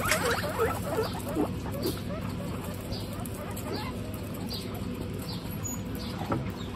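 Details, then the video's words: Pet guinea pigs, part of a household group of 26 females, on a hot day: a few short squeaky notes early on, then soft scattered rustling and pattering over a constant low hum. "Guinea pigs on a hot day"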